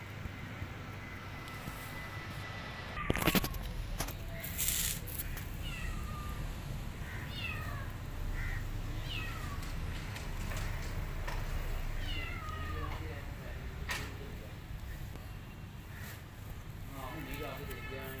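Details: Hungry pregnant cat begging for food while her abandoned kitten trails her. Short falling meows repeat through the middle and end of the clip. A sharp loud clatter comes early, over constant low background rumble.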